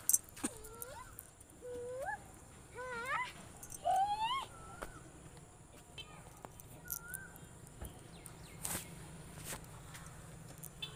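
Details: Goat bleating: a run of short, quavering calls with wavering, rising pitch crowds the first five seconds. A lone thin call follows near seven seconds over quiet background noise.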